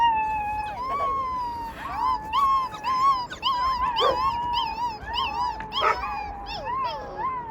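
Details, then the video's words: A group of young rescued wolves, pups, in full chorus: a steady, drawn-out howl holds beneath rapid, high, bouncing yelps and quavering squeals that rise and fall again and again, loud and close. "ВОЙ ВОЛЧАТ"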